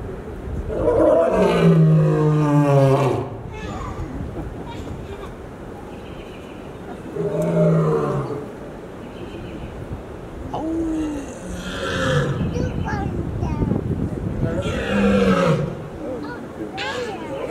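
A lion gives deep, rumbling roars in several drawn-out bursts separated by quieter pauses.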